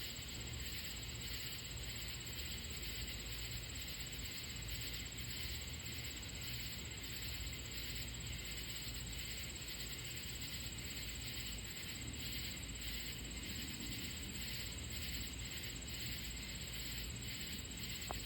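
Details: At night on July 28, 2025, near deer lying in the grass, katydids make a dense, steady, scratchy buzzing and a thin high whine.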